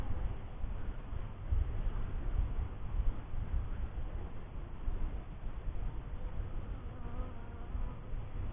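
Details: Close, loud droning of honey bees at a first hive. A thick low-pitched buzz swells and fades slightly in strength while staying unbroken for the whole stretch.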